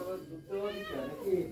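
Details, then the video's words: Pet cat, one of several excited for egg treats, gives soft tonal meows amid a person talking in Bengali, the voice and calls overlapping through the short stretch. "My cats are excited for their egg treats."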